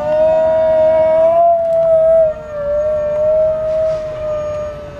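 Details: Pet dog howling as fire trucks pass: a long, steady tonal wail held for several seconds, wavering slightly in pitch and then easing off, blended with the drawn-out tone of a passing siren.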